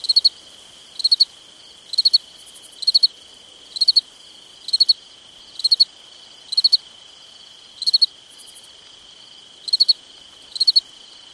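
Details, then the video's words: Nighttime summer cricket chirps, each a quick burst of pulses, repeated about once a second, with a quieter second chirper and an unbroken high insect hum underneath. "Summertime Night Sounds Sleep Noise Crickets Night Stars"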